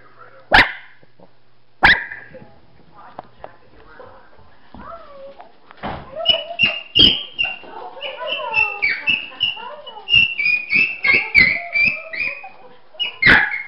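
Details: Pet dog gives two sharp, isolated barks, then a long run of yowling, whining vocalizations broken by short barks, with rising and falling tones and a final bark, in a quiet indoor setting.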